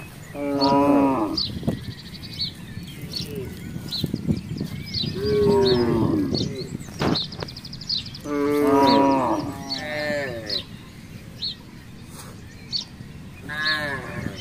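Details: Free-roaming village cattle from a herd wandering a residential complex give long, rich moos roughly every three to four seconds, some sliding downward at the end, while small birds chirp steadily in the background.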